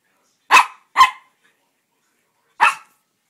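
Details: Cisco, a two-year-old Norfolk Terrier fascinated by Christmas tree ornaments, gives three short, sharp barks: two in quick succession, then a pause of about a second and a half before the third, while a person asks what's wrong.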